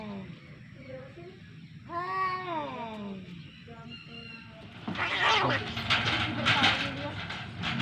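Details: Domestic cat fight: one arched yowl lasting under a second, a lull with murmuring, then a burst of loud broadband hissing and scuffling noise to the end.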